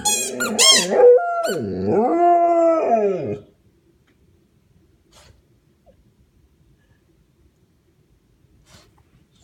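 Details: An Australian Shepherd gives its play howl with a squeak toy, a warbling, moaning cry lasting about three seconds, mixed with high toy squeaks at the start. Near silence follows.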